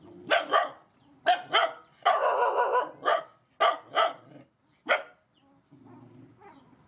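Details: Feeding time for rescue mother dogs and puppies brings bursts of paired barks and one sustained yelping howl, the barking uneven and closely spaced, fading to quiet rustling at the end.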